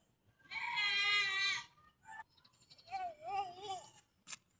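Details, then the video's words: Goat at feeding time bleating: one strong, harsh, buzzy bleat of about a second, then a short call and a softer, wobbling, rising-falling bleat, ending with a sharp click. "Pakain ng kambing"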